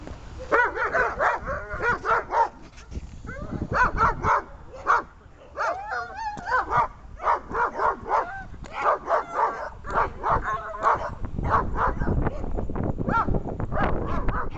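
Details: A German Shepherd during protection training gives loud, harsh barks in quick runs of two to four, pausing briefly between volleys, with a person speaking at times.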